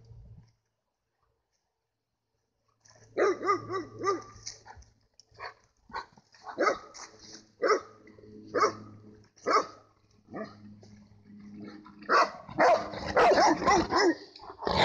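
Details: Bernese mountain dog, one of three out on a nature walk, barking after a near-silent opening: a loose series of sharp, harmonic barks at uneven intervals, growing denser and louder toward the end.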